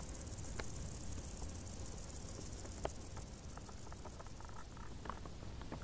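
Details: Faint, high, evenly pulsed cricket chirping from tall summer grass, mixed with small crackling ticks and a low background murmur.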